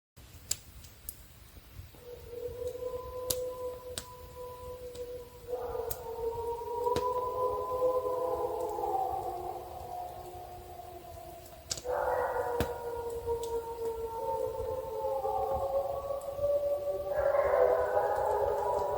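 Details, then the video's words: Several wolves howling close to a trail camera in snowy frozen backwoods of Killarney, Ontario; long overlapping tonal howls, some steady and some sliding up then falling, with voices entering in turn and building into a layered chorus, no other sounds. "Wolves Howl Right By Us"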